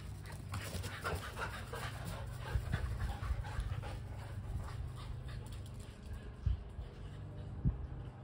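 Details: Kelpie cross and Border Collie panting while chasing a tennis ball, quick airy huffs in irregular bursts, with a few sharp low thumps and a steady low background hum.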